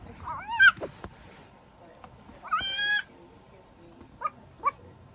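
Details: A 4-week-old goat kid gives a few thin, nasal bleats, some wavering and some held steady, while trying to get tucked in to sleep in a slipper.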